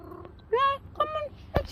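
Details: A chatty pet cat gives two short, bright, bird-like meows in the morning, apparently seeking attention; the first rises then holds steady, followed by a sharp click against quiet room noise.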